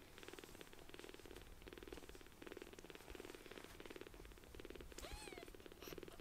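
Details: Palm-sized rescued kittens purring loudly in affection; purring cycles swell and fade roughly every half second in regular bursts, with a single thin mew just after five seconds.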